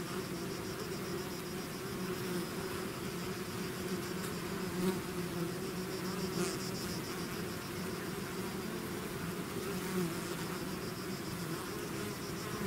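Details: Bees swarming out of their hive make an unbroken droning buzz, layered low tones holding steady while single insects fly close by now and then, giving soft swells near 5, 6.5 and 10 seconds.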